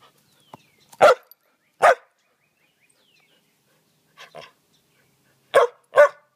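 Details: Samoyed named Jasper playing fetch on a beautiful spring evening, giving sharp barks in pairs: two loud ones, then two softer, then two more loud barks, with a quiet bird call early on.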